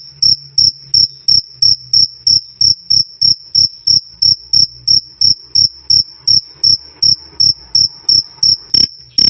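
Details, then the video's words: Cricket calling nonstop, a shrill krik-krik repeated nearly three times a second in a very regular beat. Each pulse is high and ringing against otherwise quiet background, recorded clean for bird song training. "Suara Jangkrik "Krik Krik" Keras Dan Jernih"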